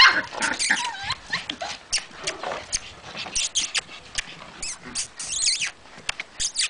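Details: White Puli dogs at a kennel in Salgótarján, Hungary, give sharp, high yapping barks in quick bursts, with a few whiny, sliding yelps mixed in.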